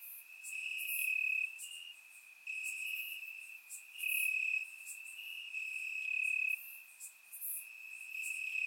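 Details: Night chorus of crickets in summer grass, Bulgaria, recorded in surround sound: continuous shrill trilling with several louder pulsing surges, roughly every two seconds, over a constant background hum of more distant callers.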